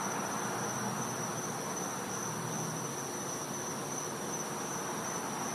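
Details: Night chorus of cicadas, winter, back yard of a Florida home; one constant high piercing tone drones without a break, with soft low humming tones near the start under a hissy background.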